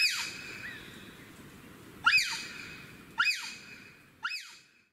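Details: Alarm calls from wild bonobos in Africa that have met wild boars and are fleeing quickly up trees; piercing high calls that rise and drop steeply, coming in four bursts about a second apart and fading at the end.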